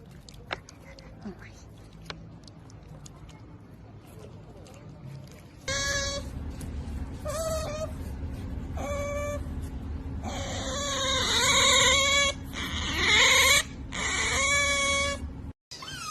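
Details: Otter giving a run of loud, strained squeals with rich harmonics, each about a second long and repeated in quick bursts after a quieter stretch of faint clicks and rustling.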